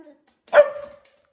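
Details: A domestic dog gives a single short, strong bark on command right after a spoken cue, with soft human voices just before and after.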